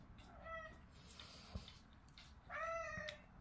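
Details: A pet cat, the owner's first cat, gives two clear meows about two seconds apart. The first is short and tonal. The second is longer, steady and slightly falling. A person speaks gently in a quiet room.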